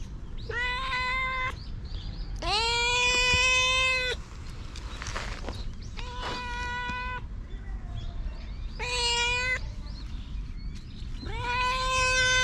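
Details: Five loud, prolonged meows from a stray cat outside, some rising at the start then held level, separated by short pauses, with a rustling noise between the second and third calls.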